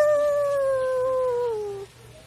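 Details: Shih Tzu giving one long, smooth howl that slides slowly downward in pitch for nearly two seconds, then stops, leaving faint background hum.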